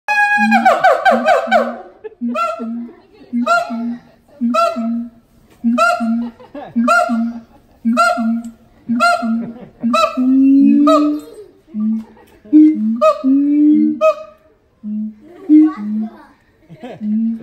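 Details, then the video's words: Siamang father and mother singing together in harmony at the Los Angeles Zoo. A loud harmonic wailing burst opens, then deep booming notes repeat about every half second with rising yelps layered above. "Siamang harmony フクロテナガザル"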